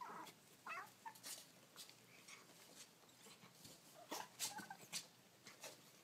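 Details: Baby kittens making cute noises: several short, thin, high mews with wavering pitch that rises and falls, scattered over six seconds between soft clicks, scratching and rustling indoors.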